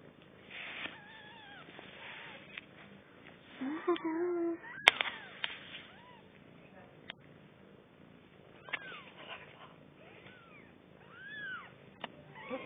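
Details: Four-day-old kittens, a litter of three newborns, give thin, high squeaks that arch up and down, repeated every second or two, with people talking nearby and a sharp click partway through.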